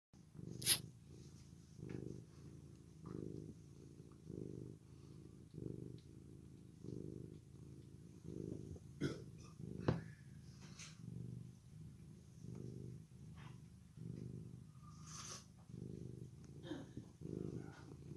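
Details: A male orange tabby cat, just brushed, purrs steadily in low rumbling pulses, each breath cycle lasting about a second, with occasional faint clicks and rustles.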